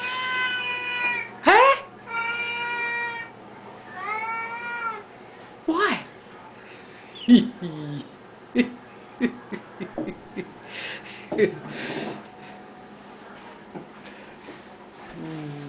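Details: Two loud pet Siamese cats at feeding time indoors: a run of long harmonic meows early on, then scattered short clicks, knocks and brief cries, with a man talking to them and background hum.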